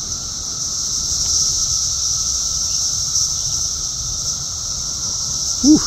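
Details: Cicadas in summer in the south suburbs of Chicago, Illinois, on June 3, 2024, buzzing and flying around in large, active numbers: a loud, unbroken high droning chorus holds steady throughout, with a brief squeak just before the end.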